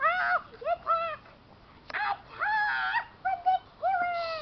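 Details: Keeshond puppies indoors give a run of high, whining yelps in short bursts, each rising then sliding down, with several pauses between cries.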